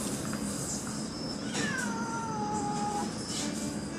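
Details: Stray cats feeding on a deck by the sea on the Kuroshio coast of Japan in the morning: a single falling meow, drawn out and gliding downward over about a second and a half, against steady background hiss.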